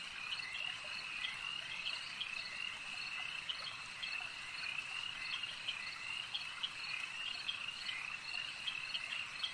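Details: Continuous high-pitched frog chorus at a lake, dense overlapping trills with a faint cricket-like shimmer, and regular clicking chirps standing out from the mass of voices.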